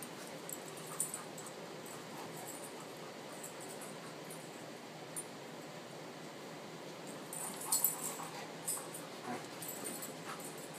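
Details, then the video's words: Tamaskan Dog at play, giving short scattered whimpers and yips, with a small cluster of sharper sounds near the end, all over a steady background hiss. "Tamaskan Play"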